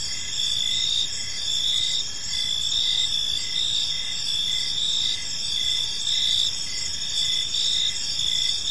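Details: Evening cricket chorus in a peaceful park, several insects trilling continuously at high pitch, with rhythmic pulses of chirps rising and falling in loudness over soft low-frequency ambient noise.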